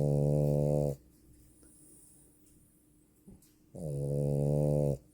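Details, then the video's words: Snoring female French Bulldog: two deep, steady, rumbling snores about three seconds apart, with near silence between them. "If you think that you buy a girls dog and you hear her snoring omg 😅 French bulldog"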